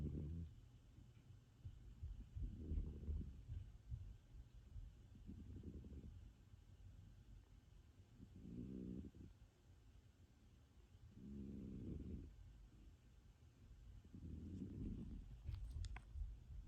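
A Sphynx cat snores in soft, low, rumbling breaths about every three seconds.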